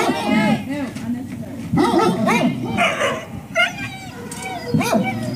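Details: Young dogs at the Service Dog Project in Ipswich, Massachusetts, USA, waiting one on one at breakfast time in October 2017: high, wavering whines and short yips from several dogs overlap, rising and falling, with people talking throughout.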